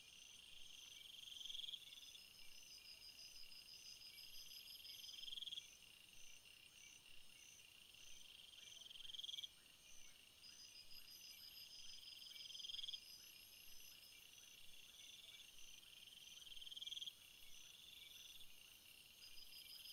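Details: Crickets in a field keep up a constant high, ringing drone, broken by short rapid trills roughly every three to four seconds, each ending abruptly before the chorus resumes.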